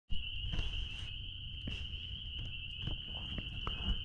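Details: Spring peepers calling out back at a blueberry farm: a steady, high, unbroken ringing chorus of many callers, with footsteps and scattered thumps and rustles close by.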